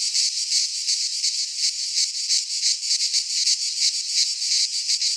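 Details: In a Greek pine forest at midsummer, cicadas keep up a piercing, grating buzz that throbs in quick regular pulses, nearly three per second, with nothing else audible.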